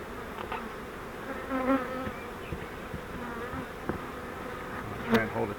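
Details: Swarm of honeybees taken from a swarm trap and moved into a Langstroth hive. A thick, even buzz wavers in pitch, broken by scattered taps and a bang of equipment late in the recording.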